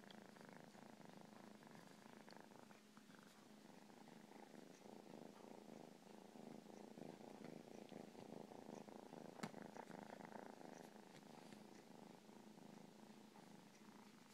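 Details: Long, even cat purr, a soft rumbling drone that grows slightly louder midway, with one sharp click near nine seconds.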